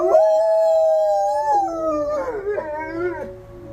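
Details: During a monthly severe-weather siren test, dogs Ryuk and Ookla in their kennel give a sustained, slightly wavering howl that dips and then climbs into quavering higher notes, with the siren's flat tone steady underneath.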